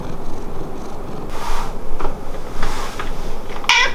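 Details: Hamu, a pet cat indoors, whose voice differs when calling to the parents versus the beloved daughter; two soft, faint meows about two seconds apart, with light room noise.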